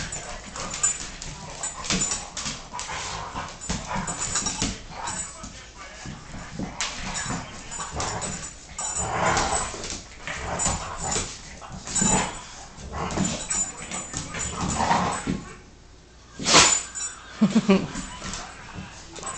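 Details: American Staffordshire Terrier playing with a Boston Terrier, rough play with repeated short barks, growls and whimpers spread through the recording, a person's voice urging the dogs on at the start.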